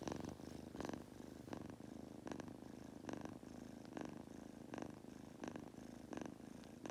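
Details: Goku, a pet Munchkin kitten, purrs as he drifts off to sleep: continuous low rumbling with regular airy breath pulses about once a second, like gentle snoring.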